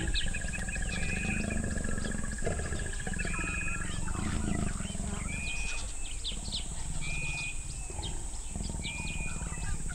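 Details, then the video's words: Leopards mating high in the branches of a sausage tree beside a flood plain in Botswana's Moremi Game Reserve. Deep, rumbling growls swell over several seconds, while birds whistle and chirp steadily above. "Leopards Mate In A Tree"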